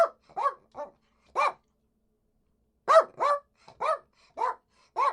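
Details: Poodle barking in short, sharp yaps, singly and in quick pairs with a pause near the middle; clean recording with no other sounds.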